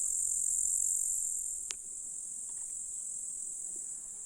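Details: July grasshopper chorus in a Russian countryside meadow near a lake: a thin, shrill, continuous sizzle, loudest in the first second and a half, with a single sharp click partway through.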